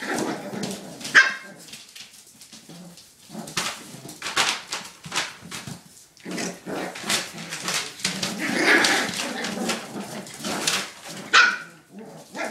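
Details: Five playing puppies yapping and whining almost without pause, a dense jumble of overlapping squeaky barks and rustling in a small room.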